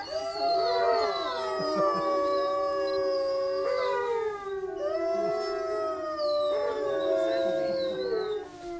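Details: Gray wolf (Canis lupus), howl.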